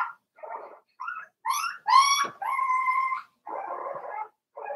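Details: Four-week-old Cavalier King Charles Spaniel puppies from Daisy's litter in their puppy pen, giving a run of short whimpers and yips, one rising into a clear harmonic squeal, then a sustained whine followed by rougher grumbling whimpers.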